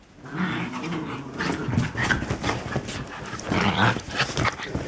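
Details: New puppies at play, giving low rough growls in overlapping bursts through most of the stretch, with scuffling noises mixed in.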